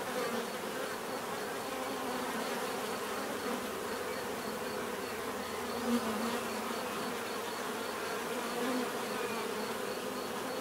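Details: Bees give a natural, steady buzzing drone with a low hum band and a faint, regularly pulsing high tick running throughout, level and unbroken.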